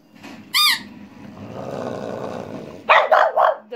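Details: Female French Bulldog barking along to a pipe: one brief shrill pipe note, a hiss of background noise, then a tight run of three harsh, throaty barks in under a second.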